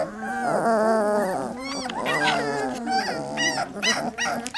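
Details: A litter of three-week-old Labrador puppies producing a dense, continuous mix of moaning whines and higher wavering cries, voices layered so thickly they blend into one steady din.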